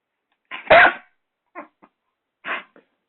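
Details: Six-month-old Doberman puppy named Rocco attacking a hairdryer indoors: one loud harsh bark-growl followed by two short quieter yaps about a second apart, then silence.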